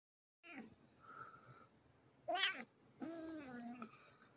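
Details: A cat, filmed as a funny pet moment, gives a short drawn-out meow with rich harmonics that bend slightly downward, preceded by a brief bright squeaky cry and faint softer sounds earlier.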